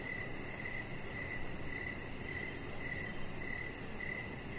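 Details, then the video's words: Crickets calling outside on an evening deck, with a regular train of brief, high chirps spaced about half a second apart over continuous soft noise and a faint high ticking. "Chihuahua Puppy Laying On Deck with Cricket Sounds"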